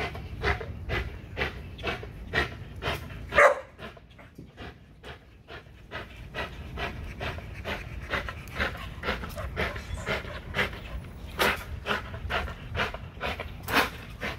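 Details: Panting of an XL American Bully during a spring pole workout: fast, breathy puffs roughly two per second, fairly even, with one louder gasp early on and a brief pause before the rhythm resumes.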